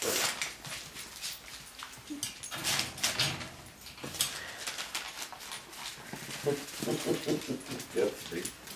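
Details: Dachshund puppies and a Lancashire Heeler puppy play, giving brief, high-pitched whines and yips in quick clusters toward the end over scuffling and rustling, with a hint of human voice in the room; Dog (puppies).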